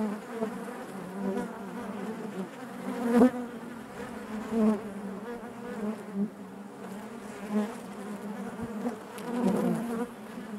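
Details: Continuous buzzing of a honey bee colony inside its hive: a low, even drone with faint upper overtones, small surges of louder buzzing and occasional soft knocks.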